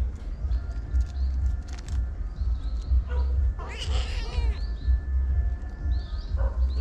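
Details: Kittens climbing trees; one harmonic, wavering meow rises and falls near the middle, set against a steady low rumble like wind or handling noise, with faint short chirps higher up.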